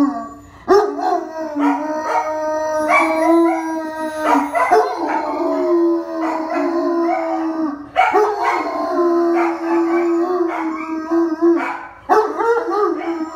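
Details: German Shepherd howls along with a ringing telephone, sustained wavering howls rising and falling slightly, broken roughly every four seconds by sharp bursts where the ring sounds and the dog restarts its cry.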